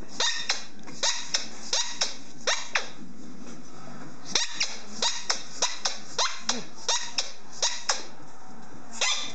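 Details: An 18-month-old male German Shorthaired Pointer with his squeaky ball gives sharp, repeated barks in quick bursts with brief pauses between.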